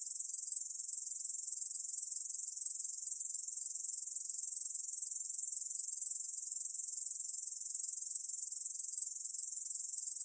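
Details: High, continuous, insect buzz from a Korean bush cricket in a 2020 recording, with rapid even pulsing and no breaks or changes in loudness; nothing else audible.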